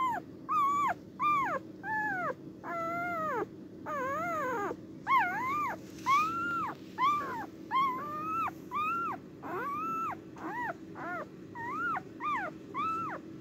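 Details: Cardigan Welsh Corgi on the day of giving birth, filmed 29 March 2024, uttering a long run of about twenty arched, harmonic whining cries, each rising then falling, repeated roughly every half second over a faint steady background hum.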